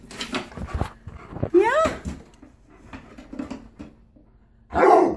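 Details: Male Alaskan Malamute indoors during his birthday BarkBox unboxing gives a short, rising, whistled whine that climbs in pitch over half a second, with an owner talking softly before and after.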